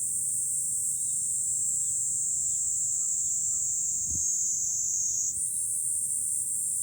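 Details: July cicada chorus on a high lookout above Fukuoka city, Japan: loud continuous shrill buzzing that jumps slightly higher in pitch near the end, with soft short chirps and a low thump in the background.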